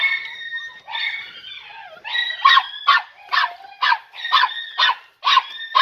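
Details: Young Podenco Andaluz hounds, three and a half months old, on their first visit to a training enclosure. A blurred, whining chorus opens, then evenly spaced high yelps repeat about twice each second.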